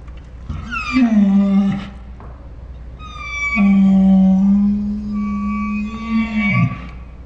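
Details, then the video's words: Saint Bernard named Ours making dinosaur-like 'talking' sounds: a loud, deep drawn-out groan of nearly a second, a pause, then a longer sustained moaning howl of about three seconds with an overlaid higher whining tone, steady low hum behind. "My Saint Bernard makes dinosaur sounds"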